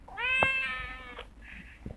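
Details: Cafe cat meowing in response to a woman singing "if you're happy say meow" indoors; a single drawn-out, slightly rising meow lasting about a second, with a brief click and a faint later sound.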